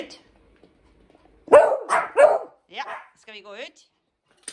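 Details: Pet dogs at home in summer: Hendo, a 10-month-old Pomeranian, and Salto the beagle, while Salto learns to ring a bell. Two loud, sharp barks in close succession, followed by softer wavering voice-like sounds.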